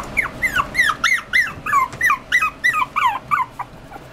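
A Poodle-Chihuahua mix puppy whines in high, arched, falling squeals, about three each second.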